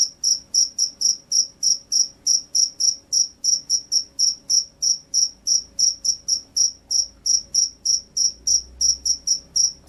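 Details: Jangkrik sawah (field cricket), a gacor singer, chirping without pause: around forty sharp, high-pitched pulses in steady succession, close and loud, with a faint low rumble in the background.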